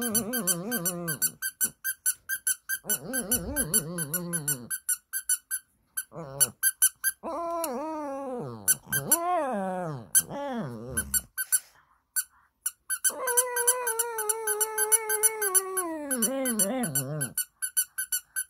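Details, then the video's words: Shih Tzu singing a sad, wavering howl at the sound of a squeaking doll indoors. Quivering, wobbling wails rise and fall in several bouts with short gaps between them, while rapid high toy squeaks repeat through much of the clip. "시츄써니는 인형소리에 슬프게 노래불러요 Shih Tzu Sunny sings sadly at the doll's sound"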